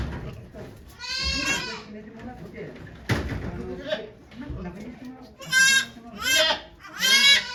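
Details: Okayu the goat in labour at Yoshigake goat farm, Japan, 3 May 2023, delivering two kids as volunteers watch; several strong wavering bleats, three in the last two seconds, mixed with people talking softly.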